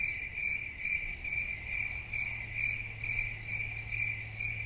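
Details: Several crickets calling together: a constant piercing trill with clusters of brief high chirps breaking out roughly twice a second, low background rumble.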